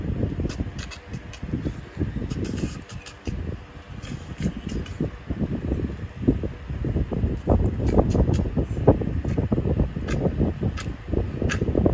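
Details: Only low rumbling wind and handling noise with faint clicks are heard, with no animal voice. The sound stays dense and muffled throughout, like wind buffeting a microphone outdoors.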